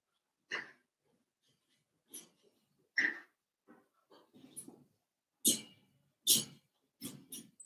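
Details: Four-week-old Cavalier King Charles Spaniel puppies in an indoor puppy pen, meeting older dogs and trying puppy mash. They give short breathy whimpers and squeaks in irregular bursts about every second, some with a clear whiny tone, and quiet snuffling between them.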